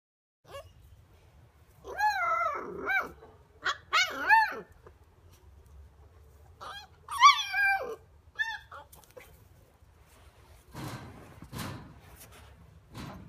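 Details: An 8-week-old Miniature Schnauzer puppy barking for the first time gives high, squeaky barks that wobble in pitch, in short bursts.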